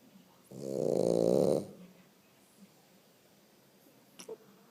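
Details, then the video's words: Sleeping French Bulldog giving one loud, rough, droning snore lasting about a second, followed by quiet room sound and a couple of faint clicks. "O Ronco do Monet / frenchie snoring / bulldog Frances"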